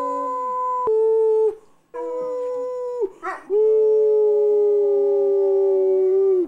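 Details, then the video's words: Howling pit bull held in long steady harmonic notes, a short broken yelp-like break near the middle, then one extended lower howl that holds level for nearly three seconds before fading. "Angus The Pitbull Howls"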